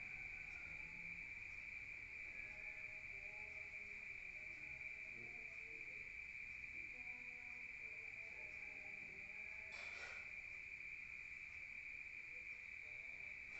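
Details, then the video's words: Rural crickets at night, heard from indoors: one unbroken, high, ringing trill holds steady throughout, with faint low murmurs and a brief soft rustle partway through. "Rural Nature Sound of crickets at night heard from outside"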